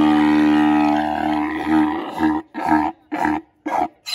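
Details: Kahlfani, a seven-year-old male Grevy's zebra at the Los Angeles Zoo, calling: a long, deep, droning harmonic note that breaks into a run of loud rhythmic grunting pulses, about two per second.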